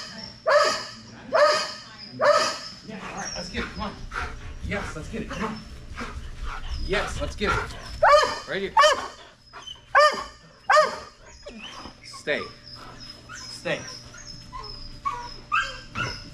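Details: Strider, a Belgian Malinois, during Fetch-It air retrieve dock diving practice outdoors, gives repeated sharp barks and high whining yelps roughly once a second, with people talking in the background.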